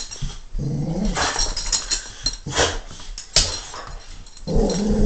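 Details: A pet dog named Stanley puts on a mock-tough growl. Short, gravelly voiced bursts repeat with brief gaps, some rising into a strained whine-like tone, over soft rustling and handling noise.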